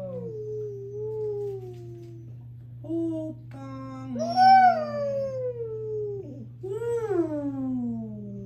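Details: Four Siberian huskies howling together: long, wavering tonal howls that rise and fall, overlapping voices with rich harmonics, one louder swelling howl near the middle, over a steady low electrical hum.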